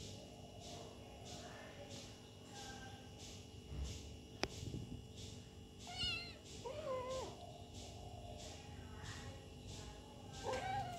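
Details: Kitten playing with its mother, giving a few short wavering meows, one pair midway and another near the end, over a quiet room with steady rhythmic pulsing background noise and a single sharp click.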